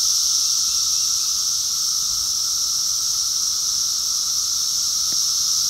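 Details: A dense chorus of Brood X periodical cicadas in 2021, males singing at peak numbers as loud as a jet airplane, makes a steady high whine over a lower droning hum.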